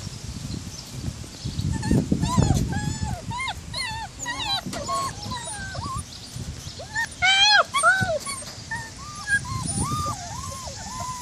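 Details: White German Shepherd puppies on a farm, several whimpering together: thin whistled whines that rise and bend down, overlapping in quick bursts with short yelps. A busier cluster comes near the middle, and low rustling runs underneath.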